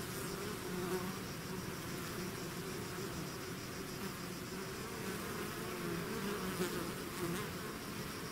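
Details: A swarm of bees out of its hive fills the air with a dense, steady buzzing hum, low droning tones wavering under a broad hiss, with a few brief louder passes of single bees close by.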